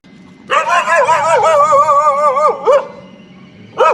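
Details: Puppy feeding on milk from its mother, giving a long, wavering, tonal whine lasting about two seconds, then a brief rising yelp and another short cry at the end.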